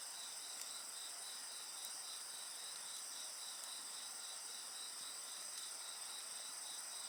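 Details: Insects chirring steadily beside a bonfire: several high continuous bands overlap, with one voice pulsing rapidly in an even trill, and sparse sharp crackles of burning wood.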